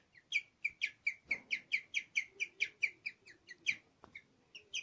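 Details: A guinea pig, about five years old, chirps in a quick, bird-like run of high, clear notes; this is its chirping song, recorded shortly before it died.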